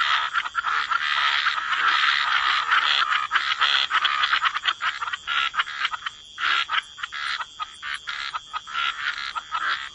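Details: A dense chorus of frogs by the water, with rough croaks blurring into a continuous rattle. It thins after about six seconds into separate rapid, clicking pulses.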